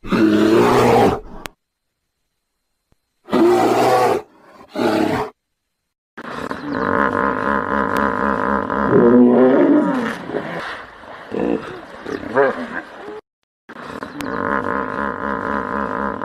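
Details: Harsh hippopotamus roars in short bursts with silent gaps, followed by long stretches of deep, rhythmic pulsed honking and chuckling grunts that swell and fade.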